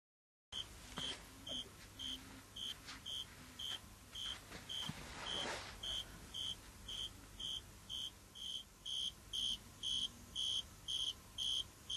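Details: A male cricket, using a leaf as a megaphone to make his song louder, sings clear, pure, high chirps, repeated steadily about twice a second.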